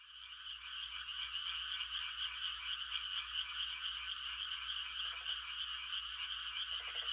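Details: Frogs giving mating calls on a quiet country night during rice-planting season: a dense, unbroken trilling chorus, with a few brief lower croaks near the end.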